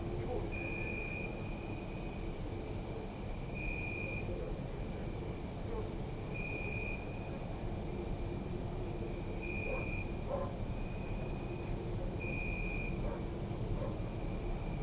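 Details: Crickets chirping at night in a city park, recorded on a Zoom F3: a high pulsed trill in long bursts broken by brief pauses, a steady lower tone recurring every few seconds, over low city rumble.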